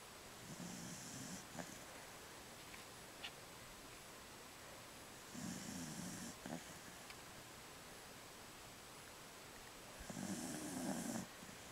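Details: A 15-year-old female Jack Russell Terrier asleep indoors, twitching while dreaming, snores in three soft, breathy rasping bursts, each about a second long and spaced roughly four to five seconds apart, with faint clicks between them.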